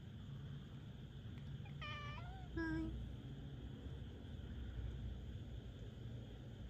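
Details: A Minuet cat named Rika voicing complaints at night with two brief meows close together, the first bending upward and the second short and clipped, over steady low room hum with otherwise quiet surroundings.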